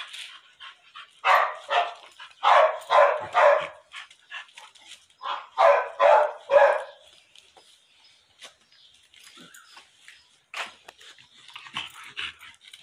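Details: Female pit bull in her second heat, recently mated, barking in quick clusters: about six sharp, harsh barks, a short pause, then three more, followed by faint scattered background noises.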